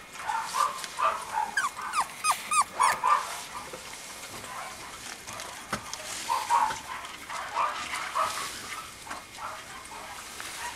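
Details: Mame Shiba Inu puppy, a male from the Sesshu Hozanso kennel, dated 17 November: a run of quick, pitched yelps about three per second, then a pause before further irregular whiny yips and whimpers.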